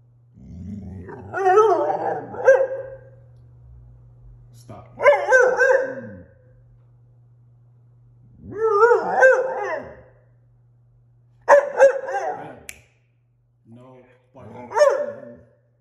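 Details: Six-month-old female German Shorthaired Pointer puppy protesting after being told no when she wanted to go outside; five separate wavering, yodel-like howls spaced a few seconds apart, each about a second long, with a man's low voice early on.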